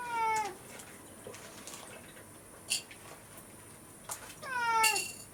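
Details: Rescued pet cat demanding breakfast from an oversleeping, hungover owner at home; two loud falling meows open and close the stretch, separated by quiet room noise and a few sharp clicks.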